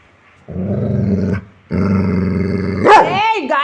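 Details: Dog giving two long, deep, rumbling growls, each lasting about a second, followed by a sharper vocal burst; a man speaks Telugu around it.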